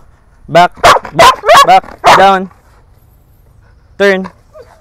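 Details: Female Belgian Malinois during training in the Philippines, barking in a burst of five sharp, harmonic barks over about two seconds, then one more bark after a pause, with a handler's spoken commands around it.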